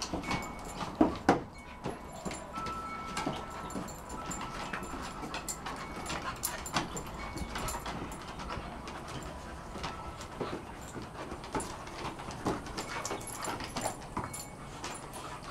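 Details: Two dogs at play, Rolex, a 1-year-old female Shar Pei, and Ellie, an 8-month-old Kelpie x Border Collie, trying to grab each other's cheeks; scuffling thuds, soft whimpers and snorts come in irregular quick bursts.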